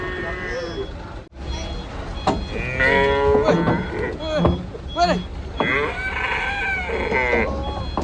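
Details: Unruly cattle coming down off a livestock truck: short rising and falling moos mixed with men's excited shouting and talking, with a steady engine hum underneath.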